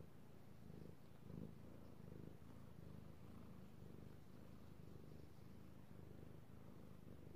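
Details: Steady low purring from a male house cat enjoying being petted, recorded 3/16/18; deep rumble swelling and easing in regular breathing cycles, with soft handling noise.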